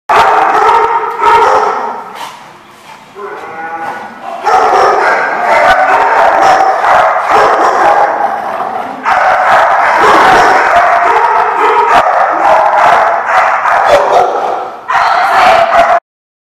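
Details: Dogs barking loudly and repeatedly at a spot called The Barking Lot, recorded 3/6/15; dense overlapping harsh barks with a few howl-like tones, brief quieter gaps around three and fifteen seconds, ending abruptly.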